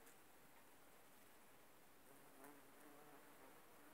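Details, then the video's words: Bumblebees foraging on aconite blossoms give a faint, low humming buzz that strengthens in the second half, with a brief tap and light background hiss. "Шмели окучивают Аконит"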